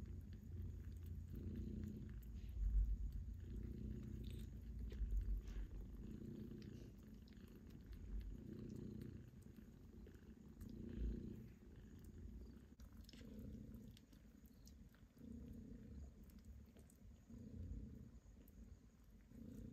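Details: Kittens purring while they clean their paws, a steady low rumbling purr with soft pulsing swells throughout, faint licking sounds and light indoor rustling.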